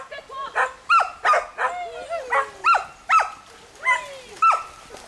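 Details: Smooth collies barking while swimming, as they usually do, together with a border collie and a shih tzu. Loud yelping barks come about every half second, some with high, bending, whine-like tones between them.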